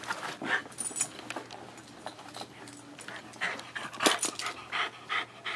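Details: An 8-year-old Bichon indoors, playing with its favourite toy car, panting in quick breathy bursts that come in uneven runs, with short sharp clatters from the toy in between.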